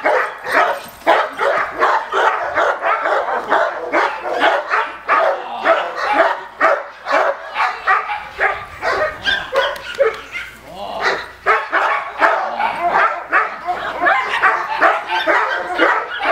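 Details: Male Cane Corso barking during attack training, a long run of fast, gruff barks at roughly two per second, uneven in timing, with a brief lull in intensity midway before resuming hard.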